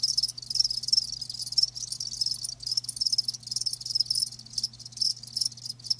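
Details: Live crickets chirping continuously in a high-pitched, dense trill of rapid pulses, overlapping callers forming a steady shimmering chorus, with a faint low steady hum underneath.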